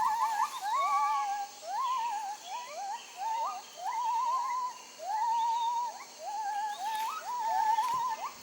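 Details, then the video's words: Gibbon in Khao Yai National Park, Thailand, giving loud whistled song phrases: each note swoops upward and then holds a quavering trill, repeated roughly every second in bursts, with a faint steady low hum beneath. "Jarunee the Singing Ape"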